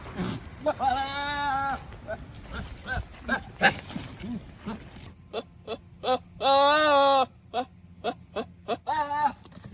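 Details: Nigerian Dwarf goats in a ranch herd, led by a male, let out long, quavering, human-like screams close to a second each, with shorter bleats, dog-like barks, knocks and faint voices between.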